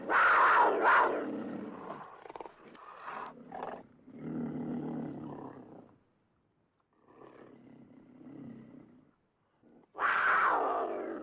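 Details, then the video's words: Snarling cougar opening with a loud, rasping burst, then quieter rough growls trailing off and fading to silence, before a sudden loud harsh snarl bursts out again at the end. "Cougar Snarling Roaring"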